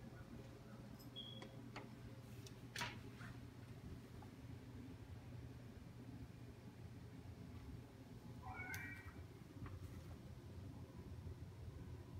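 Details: Cat trying to catch a frog, giving one short, tonal meow late in the recording, with a faint brief squeak earlier, over a steady low hum and scattered soft clicks.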